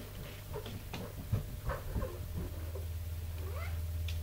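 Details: Tipsu, a mother cat, indoors training her kittens to climb stairs and calling them. Soft scattered clicks and thumps give way to a short rising meow-like chirp near the end, with a steady low hum throughout.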